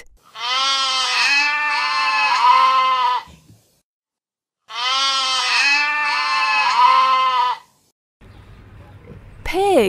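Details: Goat bleats repeated twice, long trembling nasal cries of about three seconds each with a pause between, ending in a short spoken word.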